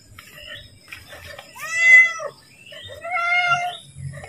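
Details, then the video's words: House cat calling for food just before feeding time: two clear meows, the first loud and arching, the second longer and wavering, over faint background noise and soft mewing. "Suara Kucing Memanggil / minta makan"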